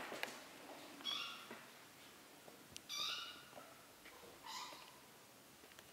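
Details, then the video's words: Young kittens, three weeks old, calling while learning to walk indoors: three clear, high-pitched meows spaced about two seconds apart, each a short rich harmonic cry, with faint soft rustling between them. "BEBEK KEDİLER ÇOK HEYECANLI 😻 MİYAVLAYARAK YÜRÜMEYİ ÖĞRENİYORLAR"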